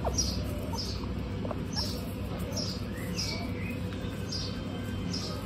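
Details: A group of 26 female guinea pigs on a hot day gives short, high squeaks repeated about every half second, with faint lower whistled notes and a steady low hum underneath.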